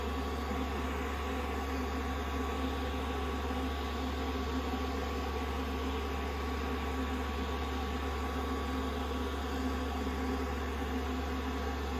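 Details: A steady mechanical whir, like a hair dryer running indoors, fills the whole stretch with no animal voice.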